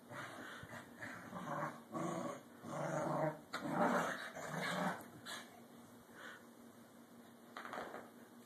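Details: Corgi pair wrestling playfully for dominance, giving throaty, rumbling growls in bursts about a second long, loudest in the middle, then trailing off into softer grumbles and a final short snarl.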